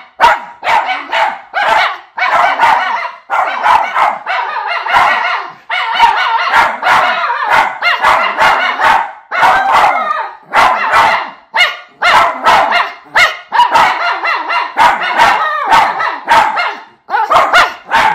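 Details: Miniature Schnauzer brothers Lucky and Levi sing a long indoor choir after coming in from their yard in Aroostook County, Maine: a steady stream of rapid yelping howls and barks, roughly two to three bursts a second, barely pausing.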